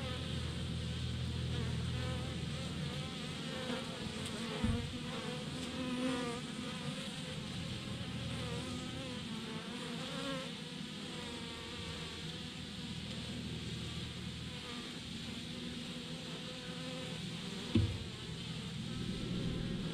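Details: Thousands of honey bees clumped together on a branch as a swarm, giving a steady, moderate whirring drone throughout, with two brief sharp knocks nearby.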